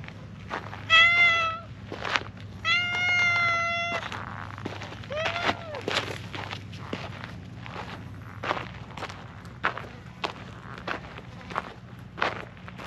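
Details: Friendly female calico stray on a mountain road in Japan, happy and being stroked: two steady, clear meows, then a short rising-falling one, followed by soft rustling and scattered clicks over low background hum.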